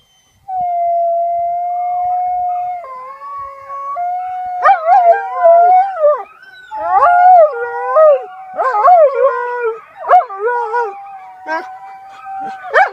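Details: Domesticated wolf howling: a long steady tonal howl held for several seconds, then a series of wavering, bending howls that rise and fall, breaking into yips and whimpering notes toward the end; quiet background.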